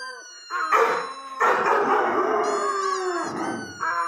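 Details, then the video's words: Irish Red and White Setter giving a short stretch of howling: a rough, harmonic-rich wail that swells, holds and slowly falls, with a quieter whine at the start and end. "Howling Irish red and white Setter"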